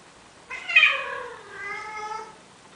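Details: Male cat from Athens, Greece, trying to persuade a female Siamese cat to mate, uttering one long drawn-out meow that starts bright and sharp, then sags lower and trails off over nearly two seconds.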